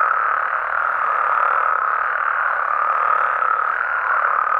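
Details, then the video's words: Mexican frogs and toads at night, calling together in a thick, constant chorus of mid-range croaks and trills that blend into one even, unbroken roar. "Mexican Frogs & Toads Sounds"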